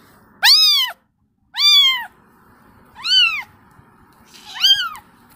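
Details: Four clear, high kitten meows calling to its mother, each a short arched wail about half a second long, spaced a little over a second apart against a quiet hum.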